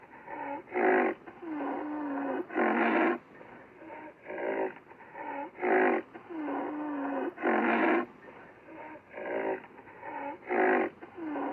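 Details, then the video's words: Black rhinoceros calling with rough puffing bursts and drawn-out low squeaky tones that bend up and down, louder blasts recurring every couple of seconds. "black rhinoceros sound effects"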